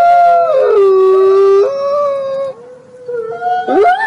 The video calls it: 늑대 하울링 Wolf Howling sound